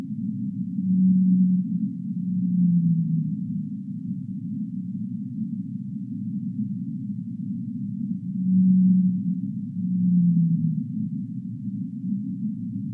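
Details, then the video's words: Whale in deep water repeating a pattern of two low moans twice, near the start and again around nine seconds, each second tone sagging downward, over an unbroken muffled rumble. "Whale Sounds of the Deep Sea"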